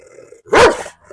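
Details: German Shepherd at a house in Perumbavoor, Kerala, during a dog challenge in which it is provoked by a stranger: one loud, harsh bark lasting under half a second, rising then falling, after a faint steady hum.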